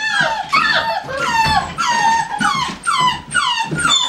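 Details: Kennel-kept American Staffordshire Terrier yelping in a steady series of bright, falling whines, about two per second, each a clear tonal cry dropping in pitch, in an indoor setting.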